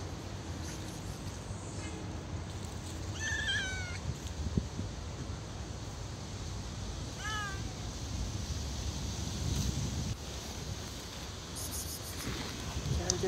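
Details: Stray street cat, hungry and asking for food, gives two meows about four seconds apart, the first longer and wavering, the second shorter and falling, against constant low background rumble with a few faint clicks.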